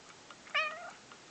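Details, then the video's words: Pet male cat indoors, coaxed by his owner to "talk" and say "kva"; one clear tonal meow lasting about a third of a second, starting higher, then sliding down and levelling off, with quiet room background. "My cat saying "quava" when I asked him to say it!"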